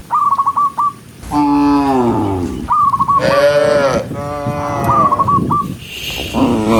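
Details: Tame cows on a green forest road in rain, being herded as they run, let out long wavering moos, with quick trills of short whistled notes in between.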